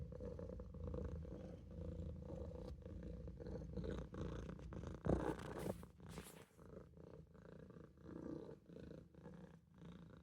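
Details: Olof, a Maine Coon kitten, purrs while taking a nap in the sink; a low rumbling purr rises and falls with each breath, interrupted midway by a short rustling bump.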